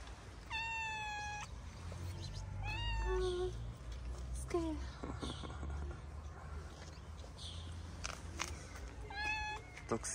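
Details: Hungry stray calico cat with shy companions in a mosque garden in Morocco, giving clear drawn-out meows near the start, middle and end, each with a steady then falling tone, while a man talks softly to the cats.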